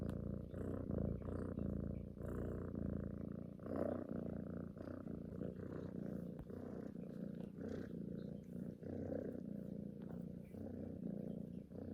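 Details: Cuddling female house cat purring as she seeks affection, suckling at a neck like a kitten nursing; continuous deep rhythmic purr rising and falling with each breath, close and intimate, quiet background.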